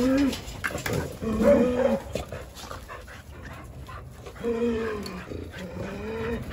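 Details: Jindo dogs at play outdoors on a cold winter Saturday morning in December; a run of short, wavering whines, some curving upward then dropping, is separated by a quieter stretch with faint background noise.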